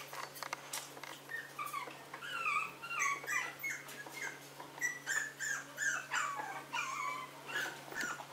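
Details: Maltese dog indoors giving soft, high, wavering whimpers and short whines in quick succession, rising and falling, over a steady low electrical hum.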